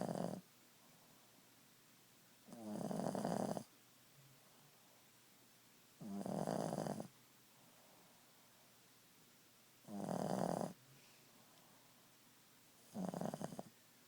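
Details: Boston Terrier named Ziggie asleep at nap time, snoring in a steady rhythm: five rough, buzzing snores roughly every three to four seconds, each lasting about a second, separated by quiet indoor stillness.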